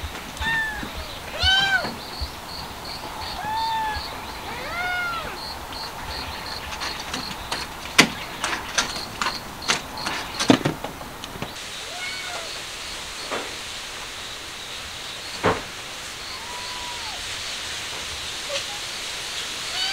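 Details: Street cats searching for sunny spots as cold weather suddenly arrives; a series of arched meows, some quick and paired, others drawn out, separated by pauses, with sharp clicks and knocks midway and a steady high pulsing chirr underneath.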